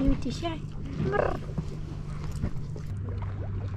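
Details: A female tabby cat on a pier gives two drawn-out meows, the second rising in pitch, over a low steady hum, as she approaches asking for food and attention.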